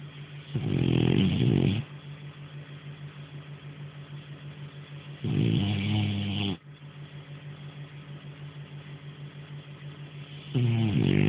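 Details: Sleeping French Bulldog named Nara snoring: three long, loud, gravelly inhalations, each lasting about one to one and a half seconds and spaced roughly four to five seconds apart, over a constant low humming background.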